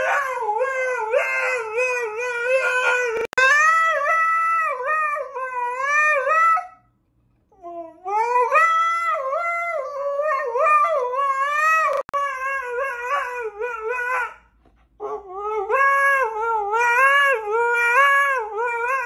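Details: Husky singing in long, wavering, harmonic howls that rise and fall in pitch, running in sustained phrases broken by short silences around the seventh and fourteenth seconds.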